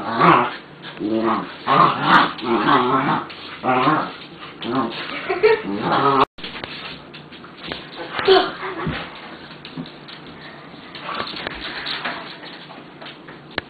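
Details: Two playing puppies, both pure breeds, making bursts of rough, harmonic whining and growly sounds during the first six seconds, then quieter scuffling noises and soft yelps. A person's voice may be mixed in.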